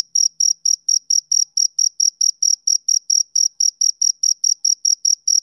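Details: Shrill, clean chirps from a male cricket, each a short bright pulse repeated at a brisk, regular beat of about four per second. Nothing else is audible.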